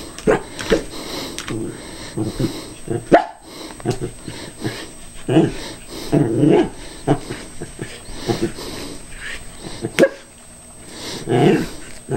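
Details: A Cairn Terrier carefully attacks an idle callous remover, giving repeated short barks and growly yaps in uneven bursts, with human speech and clattering heard throughout.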